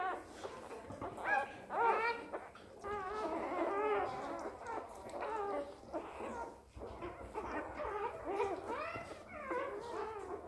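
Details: Squeaky, bending cries from a newly born Border Collie pup, repeated steadily over ten seconds in uneven bursts, some notes climbing then dropping, with one short quiet gap midway and soft background noise.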